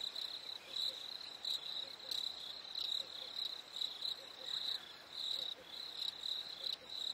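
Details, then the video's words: Crickets chirping on a warm summer night, with short high shrill pulses repeated about every half second in a steady rhythm over a quieter continuous high buzz. "Fireflies and Crickets - Calming sounds of the night"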